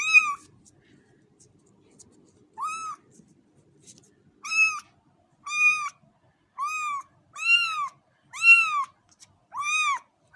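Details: Kittens meowing: high, arched harmonic mews repeated about once a second, each short and slightly rising then falling, growing louder toward the end, with a faint low rustle early on.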